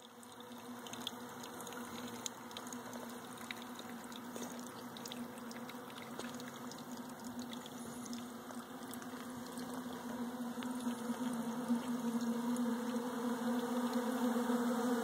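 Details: Honey bees feeding on Bee Pro at 71 degrees on 21 December 2013, a steady low droning hum that grows slightly louder toward the end, with faint crackles and ticks over a broad hiss.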